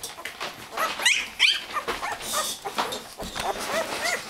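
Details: Twelve-day-old Labrador Retriever puppies from a 2009 litter, indoors: high, thin squeaky whines and whimpers rising and falling, several overlapping in quick succession, with a woman's voice calling a dog faintly behind.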